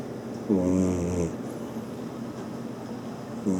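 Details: Sleeping Maine Coon named Mira giving one drawn-out, buzzy snore under a second long with stacked tones, then quiet breathing and the start of another snore at the very end.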